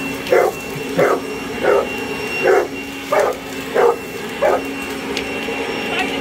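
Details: A Boerboel going after a hoover lets out seven loud, evenly spaced barks about every three quarters of a second over a constant droning motor tone, then falls quiet.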